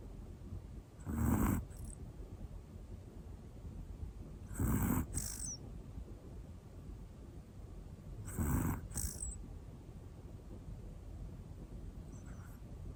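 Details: Sleeping black Pomeranian female named Hana, one year old, gives soft rhythmic snores: three low breathy snorts roughly every three and a half seconds, each ending in a faint airy hiss, with quiet room tone between.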